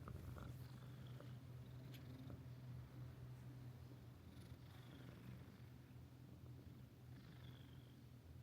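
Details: Friendly resident cat of a seaside guesthouse with hot springs in Ito Onsen, Shizuoka, Japan, purring indoors: a steady low rumbling purr throughout, with faint soft rustles and room noise.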